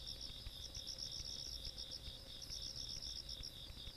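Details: Insects calling on a countryside night in Korea, 17 August 2022; a steady high shimmering trill with pulsed chirps repeating several times a second, over a low rumbling background.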